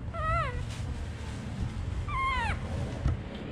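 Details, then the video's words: Young baby monkey giving two whistled, harmonic calls that each slide downward at the end, about two seconds apart, with steady low-pitched background noise between them. "Monkey Baby's Sound so adorable!"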